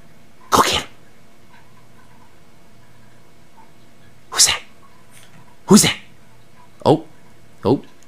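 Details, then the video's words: Pet dog Bailey, just woken from an afternoon nap and on high alert, gives five short, breathy, broadband woofs: two spaced nearly four seconds apart, then three more in quick succession about a second apart, in a quiet indoor room. "My Dog Bailey wakes up from a nap"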